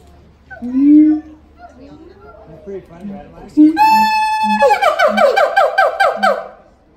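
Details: Duet of a siamang father and mother at the Los Angeles Zoo: a few low booms, then a long piercing whistled note and a rapid pulsing series of loud ringing barks.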